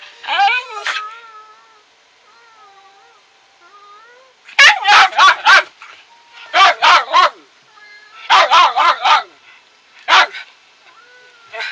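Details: Pet dog at home: a few high wavering whines, then sharp barks in quick bunches of two to four with short pauses, ending with a single bark and a faint whine.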